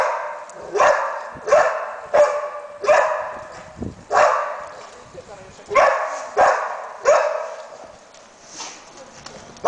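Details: Labrador Retriever search and rescue dog indicating a find by barking: loud, sharp barks repeated roughly every half to one second, with a short gap near the middle and faint Hungarian speech nearby.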